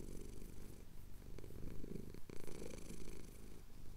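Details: Close low purr from a male cat whose chin is being scratched, Cotswold hills at sunrise, Tascam DR-07X; a throbbing rumble with a brief dip as he breathes in, then resuming strongly.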